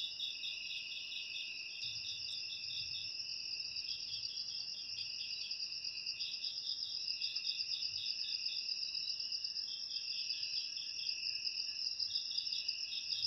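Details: A cricket chorus offered to chase rats from a home, layering continuous high ringing tones with fast beaded chirp trains that come and go. A faint low thump is heard near the third second.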